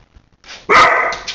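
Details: Old English Sheepdog puppy meeting a tennis ball for the first time, December 2012: a single short, bright bark with a noisy onset and quick fade.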